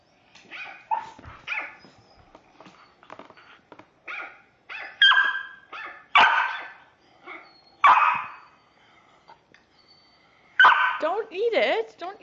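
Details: West Highland White Terrier, a pet dog indoors, barking excitedly at animals appearing on a TV or computer screen; sharp barks and yips in irregular bursts with quieter whines between, other TV sounds faint in the background.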